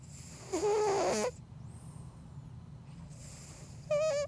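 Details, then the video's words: Elton the Bengal cat snoring while deep asleep: a loud, rough squealing snore, a quieter low rumbling pause, then a sharp, wavering high whistle. "Snoring Bengal Cat"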